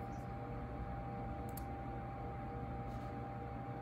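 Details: Steady low indoor hum like a fan or appliance, with a couple of faint ticks and no animal calls.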